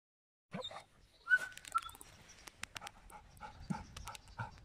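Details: Giant schnauzer dog giving a short high whimper, then a run of rhythmic breathy pants repeated about every third of a second, with faint clicks in the background.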